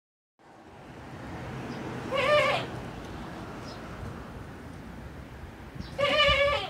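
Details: Male goat with a surprisingly cutesy voice for his size: two short, quavering, nasal bleats about four seconds apart, set against steady wind-like background noise.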